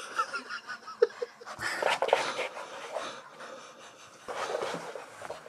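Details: Max, a pet Staffordshire Bull Terrier, worked up after frantic running; hoarse, wheezy panting breaths in a rapid, irregular run, rising into a louder stretch of harsh breathing midway, then easing.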